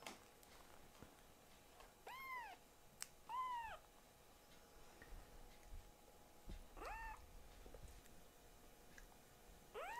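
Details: Rescued foster kitten protesting while its claws are clipped indoors: a few scattered arched mews, two close together early, then a longer rising-falling cry and another starting at the end, with handling rustles and faint clicks between.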